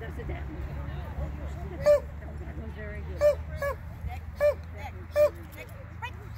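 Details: Novice agility run by a Border Collie: irregular sharp barks, some in close pairs, roughly every second after a quieter start, with softer murmuring sounds and low rumble throughout.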